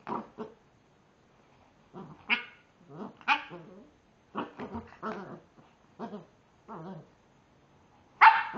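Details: Staffordshire Bull Terrier puppy tackling a frozen raspberry: short grumbling growls and yappy bursts come in scattered clusters with pauses between, ending in a sharp high whine.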